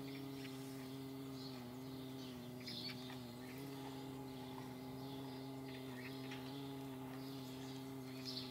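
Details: Low continuous wingbeat drone of paper wasps on the wing, fairly even in pitch with gentle wobbles, plus faint short chirp-like sounds in the distance.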